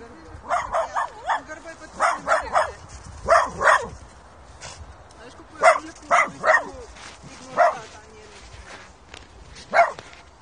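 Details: Dogs at a puppy-school lesson where a 5-month-old Kooikerhondje puppy meets a huge, calm Tibetan Mastiff to build trust. Sharp, high yipping barks come in irregular singles and quick pairs, roughly a dozen in ten seconds, over a faint background murmur.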